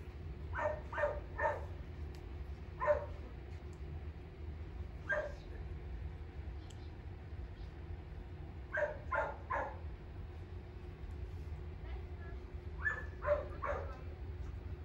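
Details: Miniature dachshund, a puppy listed by a breeder, gives short yips and barks in small clusters of two or three, spaced irregularly over fifteen seconds, over a steady low hum of room noise.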